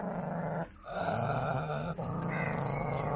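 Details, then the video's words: Lhasa Apso, one year old, rescued after many days caged, growling and snapping aggressively at its owner; a continuous low rumbling growl with a brief break near the middle, over steady background noise. "Dog Snaps and Growls at Owner!"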